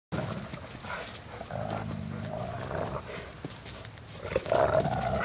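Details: Two dogs, Randy and Sheila, wrestle in play while Bloodhound Wilma watches; low rumbling growls come in broken bursts over steady scuffling noise, with a louder, rougher growl near the end.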